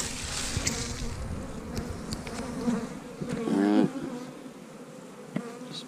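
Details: Honey bees in a stack of three eight-frame hive boxes, opened on March 10th, somewhat hostile: steady low droning hum with a harmonic above it, broken by wooden knocks and clunks from hive handling.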